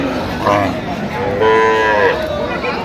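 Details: Cows with calves for sale at the Ambari cattle market in Dinajpur, Bangladesh, 17 October 2025: one drawn-out, slightly falling moo of about a second rises over loud crowd chatter and market noise.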